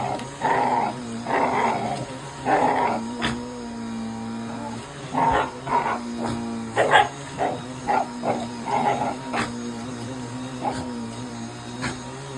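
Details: Shiba Inu dog indoors fighting a running vacuum cleaner, excited or angry; rough, raspy growling barks in short bursts, roughly one or two each second, over the steady droning hum of the vacuum.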